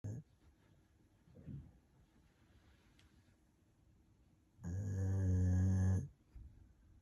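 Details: Golden retriever snoring while napping contentedly at midday indoors; soft breathy rumbles early on, then one long, loud, droning snore lasting over a second with a low buzzing tone, followed by quiet breathing.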